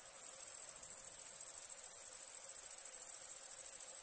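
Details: Chirping crickets at night produce a fast, evenly pulsed high-pitched trill that holds steady from start to end without a break.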